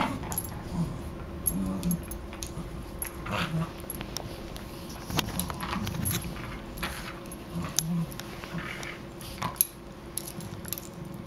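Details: Two dogs, Riley and Buddy, playing together indoors: low rumbling growls come in short bursts every second or two, mixed with jingling collar tags, scuffling and sharp clicks from their movement.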